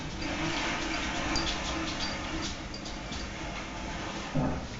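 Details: Steady rushing water like a flushing toilet fills a small room, with no animal voice. A brief low bump near the end breaks the even wash of noise.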